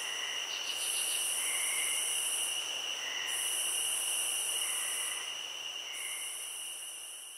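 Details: A shrill, even cricket trill runs throughout, overlaid by long bursts of intense high buzzing separated by short pauses, plus a quick flurry of ticks early on and gentle lower notes.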